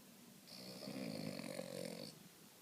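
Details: Boston Terrier napping indoors after a morning awake, one long breathy snore lasting about one and a half seconds, with a raspy, whistling hiss over a low rumble.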